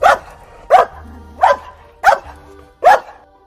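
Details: Dog barking: five short, sharp barks, one about every three-quarters of a second, over quiet background music.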